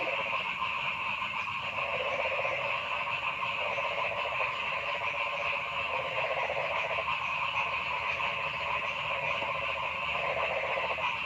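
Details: Noisy frogs in the forest: a steady, dense chorus of rattling, pulsed croaks from many animals, with irregular louder bursts of a second or two over an unbroken high trilling background.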